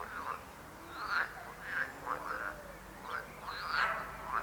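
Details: Frogs croaking: short nasal bursts come in uneven clusters about every half second to second, overlapping in a loose chorus over a faint background hiss.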